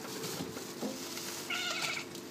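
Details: A female domestic cat that likes to stay in the refrigerator gives a brief, rising then falling meow with clear harmonics near the end. A steady low hum runs throughout, and a woman calls the cat in Hebrew nearby.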